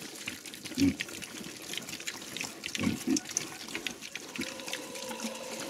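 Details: Small Mangalica piglets eating chicken entrails give brief deep grunts, one early and a quick pair near the middle, among slurping, splashing feeding noises and human speech.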